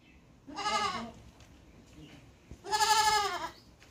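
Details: Goat giving two loud, tremulous bleats about two seconds apart, the second longer and stronger, with a quiet background.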